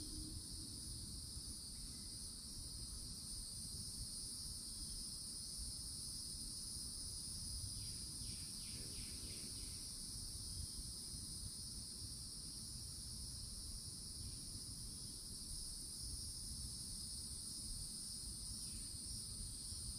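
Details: Florida summertime cicadas chorus at the edge of a forest by an old oak. A steady, piercing high drone runs without a break. One brief pulsed rattle sounds midway over a constant low rumble.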